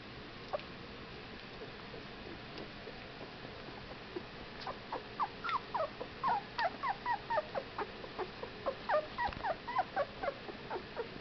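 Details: Whippet puppies, 15 days old, making a rapid run of short squeaky whimpers and yelps that begin faint and grow busier after about four seconds, with many small overlapping cries against a low background hiss.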